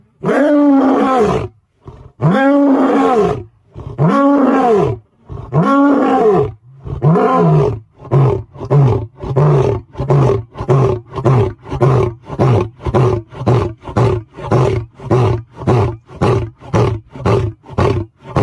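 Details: Lion roaring while resting: four long, deep, moaning roars rising and falling, each about a second long, then a run of about twenty-five shorter grunting pulses that come faster and fade steadily, with no other sounds.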